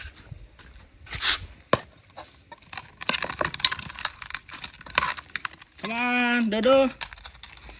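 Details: A dog whines once, a loud harmonic cry of about a second that rises slightly at its end, heard between chopping and crunching noises while a person calls the dogs to come outside and come closer.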